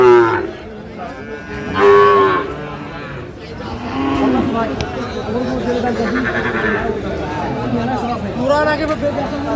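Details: Sahiwal bull cattle in Natore on 2 February 2025: a series of deep, drawn moos from several animals, one strong call near the start and more overlapping later, with background chatter and a sharp click.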